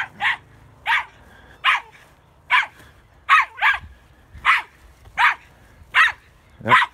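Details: Female chihuahua/border collie mix, ten years old, barking while hunting woodchucks near their holes by a tree; loud, sharp, evenly spaced barks roughly every 0.7 seconds, about ten in seven seconds, in quiet surroundings.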